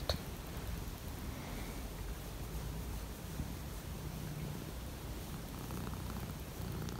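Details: Siberian lynx kept at home, indoors on a cold morning, one of the lynxes with the female lynx Misa nearby; a steady low rumbling purr runs through the whole stretch, with faint room noise and a soft knock near the start.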